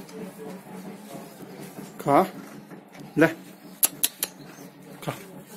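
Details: A female calf gives two short, harmonic bawls about a second apart over murmuring voices.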